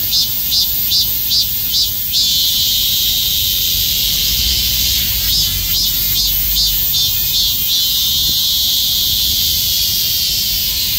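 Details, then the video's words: Countless cicadas clinging to trees in summer call together in a loud, continuous high buzz, pulsing in rapid regular bursts. "수많은 매미가 벌처럼 달라 붙어 울부짓는다, numerous cicada calls"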